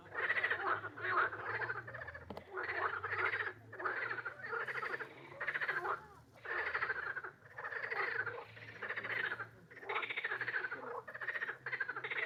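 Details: Repeated grating frog croaks: bursts of rapid pulses of about a second each, broken by brief gaps, continuing steadily with a low background hum.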